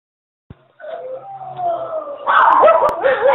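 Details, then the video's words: Pet dog singing, a wavering tonal howl that starts softly and slides gently downward, then grows louder and rougher in the final second with quick pitch wobbles. "Ozz Cantando"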